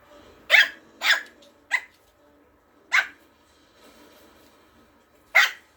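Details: Morkie puppy Ato, a Maltese-Yorkie mix, boldly charging at an older dog during play. Five sharp, high yaps at uneven spacing: a quick pair, a single, another, then a last bark after a pause. Quiet room in between.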